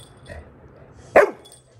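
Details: A Labrador Retriever puppy wanting to eat an Oreo biscuit lets out one short, sharp bark after a faint murmur, followed by quiet.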